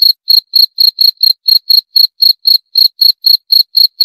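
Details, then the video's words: Steady cricket calling: bright, high chirps in an even train of roughly four per second, each pulse crisp and short, with no other sounds present. "28 Menit Suara Jangkrik - 28 Minutes Cricket Sound Effect"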